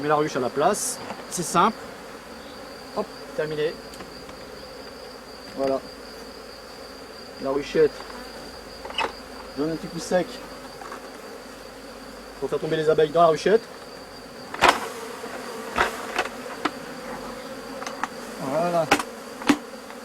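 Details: Honey bees at a drone-laying colony after a successful rescue; scattered short buzzing passes with wavering pitch, a busier cluster around thirteen seconds, sharp clicks, and a steady low hum with a thin high tone throughout.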